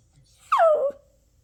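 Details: Toy Poodle puppy in a tantrum gives one short whine that drops steeply from high to lower pitch, brief and clear against a quiet room.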